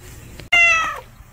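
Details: Unfamiliar male street cat, orange-coated, newly appeared: a single loud meow lasting about half a second, bright and harmonic-rich, starting high and sliding slightly downward at its end, with quiet low background hum before and after.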